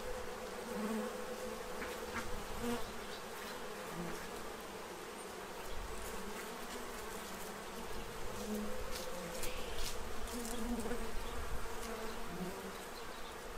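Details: A swarm of bees feeding at a tray ahead of winter in Central Illinois; a droning hum that waxes and wanes as individual insects pass close, with scattered soft clicks.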